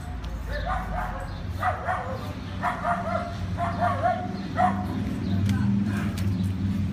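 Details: Dog-aggressive Great Dane in training in Northern Virginia, barking: a run of about five sharp, harmonic barks spaced roughly a second apart, over a low rumble with voices in the background.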